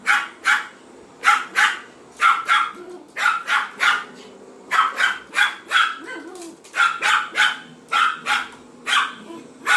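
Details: A Pomeranian barks at a vacuum cleaner, giving steady repeated high, snappy yaps in pairs and triplets with brief gaps between bursts, over a faint background hum.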